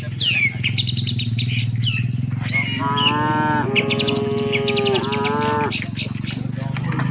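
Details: Herd of tame cattle on the move toward the shed; two long, level moos close together in mid-recording, backed by a low droning rumble and frequent sharp bird chirps.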